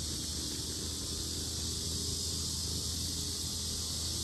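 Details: Steady high-pitched buzzing of loud cicadas at the Sinjeongho lotus park in Asan, Korea, over a noticeable low rumbling background hum.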